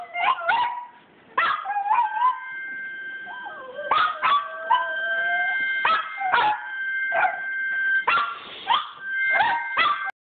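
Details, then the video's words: A pack of dogs singing together: long sustained howls held under bursts of high yips and short barks that recur every couple of seconds, with voices sliding up and down. "Singing dog pack"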